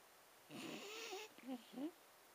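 A Staffordshire Bull Terrier snores with a rough, breathy rasp, followed by two short low snuffles.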